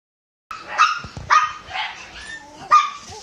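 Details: A Shiba Inu puppy, still at the breeder's, gives sharp, high-pitched barks and yips in quick, uneven bursts.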